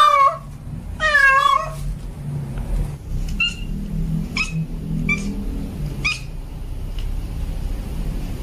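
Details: Male domestic cat in heat calling to a female: two loud wavering meows with rich harmonics open, then a run of short clipped mews roughly every second, over a low background rumble.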